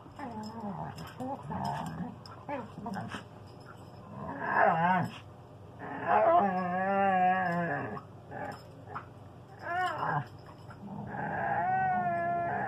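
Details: A standard poodle and a husky vocalizing back and forth to each other; long warbling, yodel-like howls and whines that rise and fall, in several bursts with short pauses, plus faint rustling.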